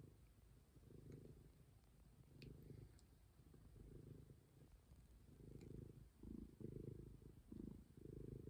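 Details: Stray cat purring steadily, a deep rumbling purr swelling and fading in regular breaths about once a second, with a faint background hiss.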